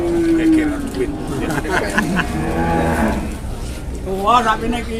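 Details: A cow at a crowded Indonesian cattle sale gives a low, droning moo of about a second and a half. A higher, shorter rising call follows near the end, both partly masked by the chatter of bargaining people.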